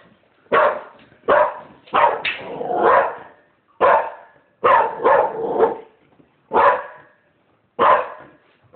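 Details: A female dog barks in short, loud bursts, some doubled or run together into a rough, throaty stretch, with brief pauses between them and about nine bursts in all.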